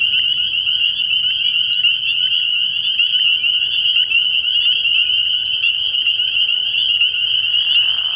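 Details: Many spring peepers at a pond after dark, early in the year, calling together: countless overlapping high peeps make an unbroken piercing drone that stays even throughout, with a faint lower rasp at the very end.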